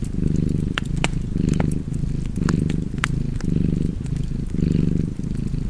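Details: Purring cat at a fireside, where a loud, buzzy low purr comes in rhythmic surges roughly every second, punctuated by bright crackling pops from the flames.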